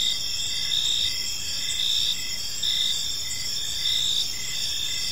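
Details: Several crickets chirp in a park as evening falls; high, ringing trills continue while shorter chirp bursts repeat about once a second above a faint background hum.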